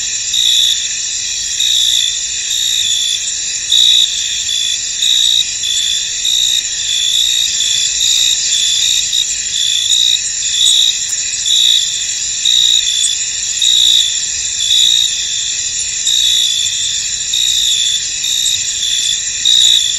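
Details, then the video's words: Crickets in a misty, foggy field sing as a dense chorus, a steady high shimmering trill with brighter chirping bursts pulsing through it about every second, with no other clear sounds. "Tranquil Cricket Sounds In An Misty Field"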